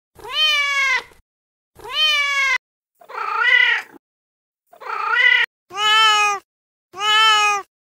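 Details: A mom cat, feral, talks to her kittens in six meows of varied tone: two steady drawn notes, two rougher wavering ones, then two louder, higher closing calls.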